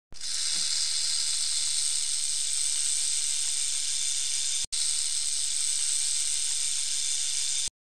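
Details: Rattlesnake rattling: a steady, dry, high-pitched buzzing hiss held for about seven seconds, broken by one very short gap near the middle, with no other sounds.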